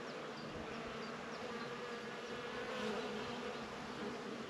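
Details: Humming bees among flowers: a steady low buzz holds through the whole stretch, with faint high chirps from other small sounds early on.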